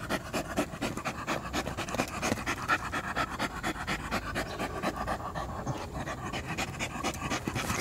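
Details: Panting from a pet poodle: soft airy huffs repeated in an uneven, quick rhythm of roughly one or two per second, steady throughout, light background music.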